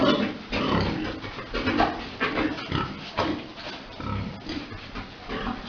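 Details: Farm pigs during breeding, a big boar mating a sow; dense, harsh grunting bursts follow one another closely, with rustling and knocking in the pen.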